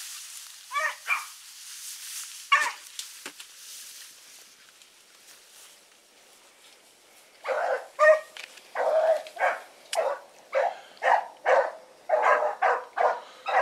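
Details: Blackreek pack dogs Choco, Dino, Johnny Ringo and Mingo running on an August 2014 evening; a few scattered distant barks, then a long quiet stretch before a steady run of repeated barks picks up over the last six seconds.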